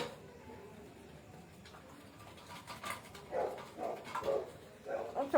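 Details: Indian pariah puppy, a desi dog, on 11 July 2025 at 8:05 pm, giving soft, short whimpering yelps in a quick run of four or five, about half a second apart, with faint bowl clinks and a quiet human voice indoors.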